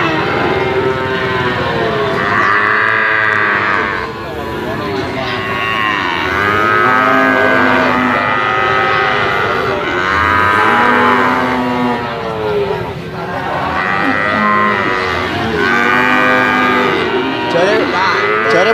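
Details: A group of Brahman bulls bellowing continuously; long, overlapping moos swell and fade in waves every few seconds, one brief lull near the fourth second, then the chorus resumes loudly.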